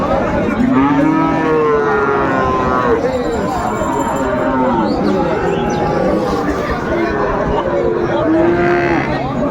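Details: Bull calves of Friesian and cross breeds at Raniganj market in Dinajpur, 2 May 2024, moo repeatedly in curved, tonal bellows. A dense murmur of buyers and sellers haggling runs underneath.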